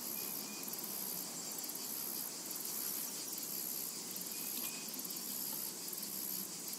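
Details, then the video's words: Cicadas calling in a tranquil summer meadow: a steady, shimmering high-pitched drone fills the whole stretch without pause, with a couple of faint, short chirps in the background. "Summertime and Cicada Ambience to Relax to"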